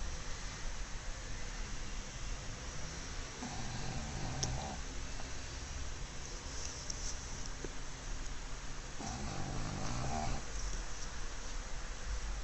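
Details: Black pug named Mozuku asleep at home in an ungainly sprawl; two drawn-out, raspy snores rise and fade several seconds apart against constant background hiss.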